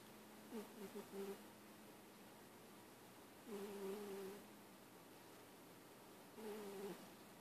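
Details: A little boy cat's wheezy purring: a soft, continuous low drone with raspy, slightly tonal swells on each breath, three of them roughly every three seconds, quiet throughout.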